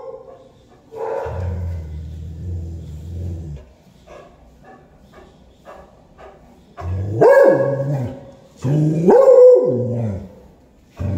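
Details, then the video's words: A beagle barks at a black cat with loud, drawn-out barks that swell and fall, with a low rumble between bursts. "beagle dog barking a black cat🐈"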